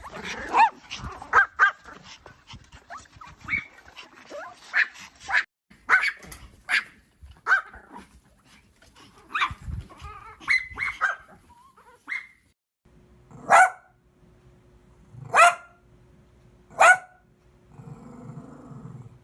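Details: Dogs and puppies barking: a busy run of rapid, sharp barks and yips, then three loud single barks spaced about 1.5 seconds apart near the end.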